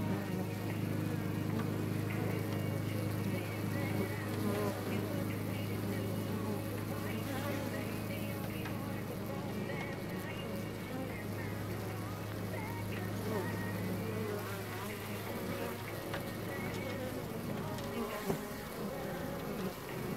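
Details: Honeybees in Hive 4 on June 15th produce a constant low droning hum with a steady deep tone underneath and busy, flickering buzz texture above, fairly unchanging throughout.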